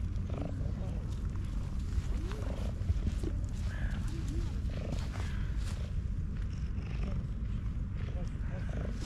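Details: Black domestic cat, content, purring heavily: a continuous deep pulsing rumble carries on without a break, with occasional soft brief higher squeaks or voice-like sounds laid over it.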